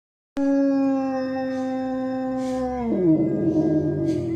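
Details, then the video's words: A German Shepherd howls on hearing an ambulance siren, giving a long, steady, tonal howl that breaks and drops lower near the end. "Pastore tedesco ambulanza ulula"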